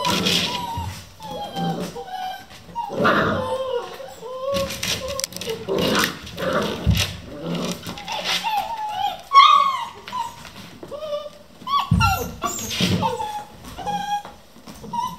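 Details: A litter of 11 Vizsla puppies playing non-stop at 3 AM yip, whine and squeal in overlapping bursts.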